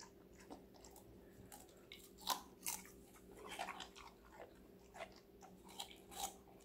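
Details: Crisp vegetable crunching from Connie, a young female Golden Retriever five months old, eating indoors: bright, separate bite snaps about once or twice a second, some loud and ringing, over a low steady hum.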